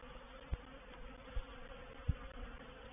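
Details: Swarming honey bees settling into a bait hive at Painted Peacock Manor on 04/07/21; low, even buzzing beneath three dull knocks or bumps spaced across the few seconds.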